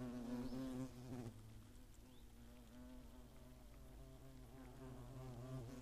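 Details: Hornets at their nest in the Eifel near Greimersburg, Germany, on 15 August 2017: a steady low droning buzz of several overlapping wingbeats, louder during the first second, with faint high chirps in the background.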